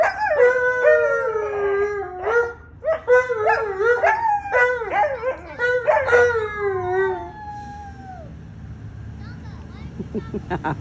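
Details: Howling Alaskan Malamute: layered, wavering howls with rising and falling slides for about seven seconds, one last howl trailing downward, then near quiet with faint rustling.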